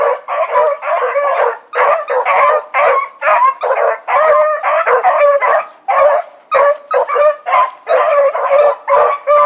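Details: Four hounds of the Blackreek pack, Choco, Dino, Johnny Ringo and Mingo, running on an evening in August 2014, give a loud rhythmic stream of bawling barks, several dogs overlapping in quick pulses with brief gaps.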